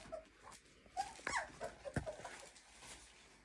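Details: Clumber Spaniel puppies, 23 days old, indoors, giving faint, short whimpers, some sliding up then down, scattered across a few seconds over a soft background hiss.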